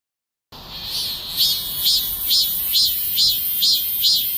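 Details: Cicada calling loudly enough to wake a sleeper, recorded 28 July: a steady high buzzing drone with pulsing swells repeated about every half second, evenly spaced, no other sounds.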